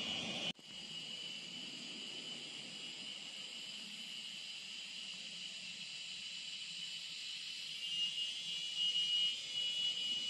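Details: Jungle insects in a continuous, steady high-pitched buzzing chorus with layered sustained tones. A sharp click at the start is followed by an even drone that grows slightly louder near the end.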